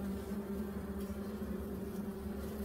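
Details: Korean native honey bees at an opened hive during inspection, colony preparing early to swarm with four queen cells found. Steady low droning hum with a strong fundamental and a clear overtone, continuous throughout, with faint handling noises.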